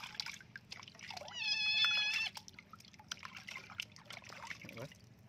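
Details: Flea-ridden kitten being bathed, giving one long, loud, sustained and slightly rising meow lasting about a second, surrounded by trickling water and faint human speech.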